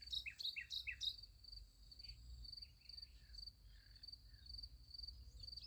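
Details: Night crickets by a sunflower field keep up a continuous rapid high-pitched pulsed trill, while a bird gives a quick run of loud chirps at the start and softer calls follow.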